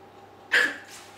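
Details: Puppy named Bruce being silly indoors gives one short, breathy, squeaky burst lasting about a third of a second, then falls quiet in a still room.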